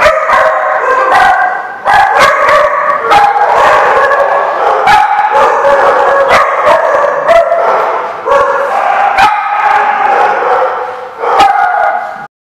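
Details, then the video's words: Dogs barking continuously in a loud group, sharp repeated barks layered over wavering howls with no pause throughout. "The Barking Lot"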